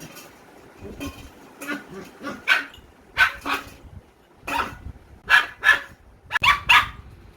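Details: A German Shepherd puppy in India barks for the first time, giving short, high, yappy barks in uneven bursts.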